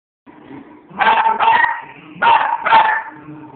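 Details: West Highland White Terrier barking at moose scenes while watching a movie: four sharp, loud barks in two pairs, the first pair near the start and the second about a second later, over a steady tonal hum from the film soundtrack.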